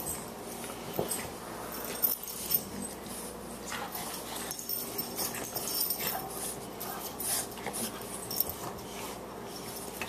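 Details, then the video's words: Playful wrestling between two Boxers, the 14-week, 18-pound puppy Margie and elder Lou Dog, inside a small room: breathy snorts and soft whimpering huffs mixed with scuffs and clattering knocks, uneven bursts throughout. "Boxers at play"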